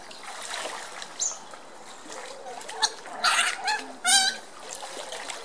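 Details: Smooth-coated otters at Colchester Zoo play-fighting roughly in their pond: splashing and trickling water, broken by a few short squeaky calls and one harsh, buzzy squeal near the end.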